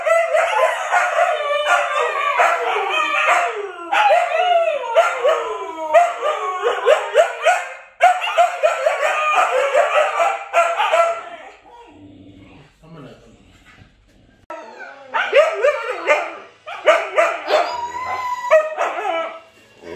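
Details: Several Siberian Huskies, Luna, Gizmo, Arya and puppies, howling together in long wavering overlapping tones with yips, broken by a quiet gap near the middle before the chorus resumes.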